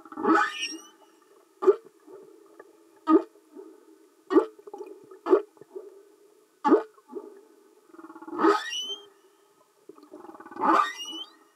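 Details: Singing humpback whales recorded underwater: a series of short pulsed grunting units roughly every one to two seconds, several ending in high upswept squeaks, over a constant low hum.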